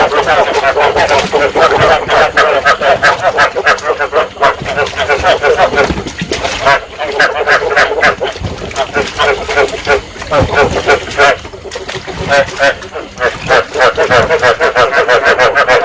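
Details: Rice field frogs in Vietnam calling to stimulate breeding, a sound played to lure frogs into traps: a dense, loud chorus of many overlapping croaks, rapid pulsed calls of roughly three per second running continuously with brief dips in loudness.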